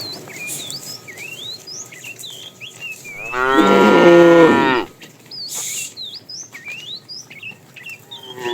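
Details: A fat tame cow in a herd driven along in the afternoon, calling the female: one harmonic moo of about one and a half seconds, framed by many rising, whistled bird chirps.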